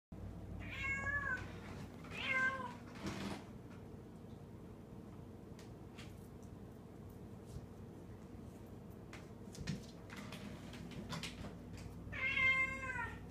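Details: Domestic cat meowing while playing with a toy held in its mouth indoors; two clear, rising-falling meows near the start and another near the end, with quiet shuffling and room hum between them.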